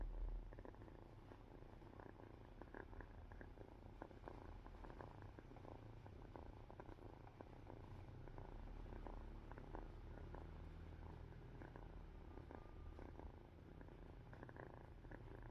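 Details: A sleepy domestic cat purring softly as it dozes off, a low continuous rumble with faint rhythmic pulses, quiet room with no other clear sounds.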